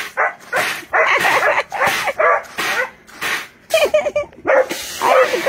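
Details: Pet female basset hound in a playful standoff with a duck on an Ohio hobby farm near Oberlin; a run of loud, ringing baying barks, about ten in five seconds, some rising and wavering.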